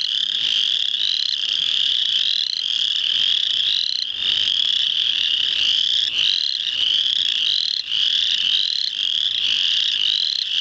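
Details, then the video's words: Spring peeper frogs in full chorus at Muscatatuck National Wildlife Refuge, Indiana, on March 7, 2009: a dense, continuous wall of high, clear rising peeps overlapping constantly, many callers at once with no gaps. "Spring Peepers at Muscatatuck Natl Wildlife Refuge, Indiana"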